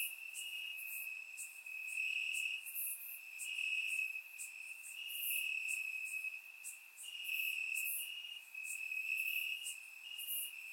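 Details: Summer night chorus of crickets in Bulgarian grassland, captured in surround sound: continuous high-pitched ringing trill underneath, with brighter rasping chirp bursts rising and falling in waves every second or two.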